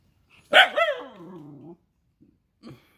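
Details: One strong bark from a Rajapalayam dog opens abruptly, then stretches into a long, gradually falling, whining tail lasting over a second, followed by a faint short sound.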